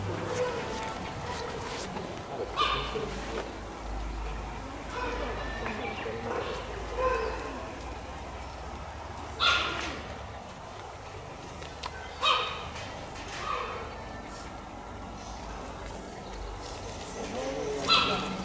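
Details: Cheetah at Tama Zoological Park calling with short bird-like chirps repeated at irregular intervals of a few seconds, standing out over a faint murmur of visitors' voices and crowd noise.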